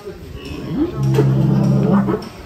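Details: Rossi, a giant champion cow of an Indonesian cattle contest, led out of its pen, gives a deep, steady, droning moo lasting just over a second, while men talk over and around it.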